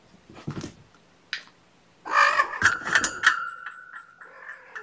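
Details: Kittens stirring awake from a snuggled nap indoors; after soft rustles, a loud, drawn-out harmonic mew sweeps in and holds steady for about two seconds before fading, with light handling noise around it.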